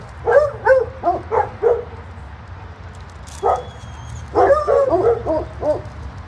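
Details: Dogs in doggy daycare bark as someone sits down: quick volleys of yappy, bright barks, roughly three per second, with a pause midway, then a louder overlapping flurry, and low rumbling room noise throughout.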